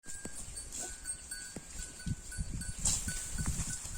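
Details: Holstein Friesian cow eating grass: soft, irregular low crunching and chewing bursts, roughly two per second, growing busier in the second half, over a steady high hiss and faint repeated ringing tones.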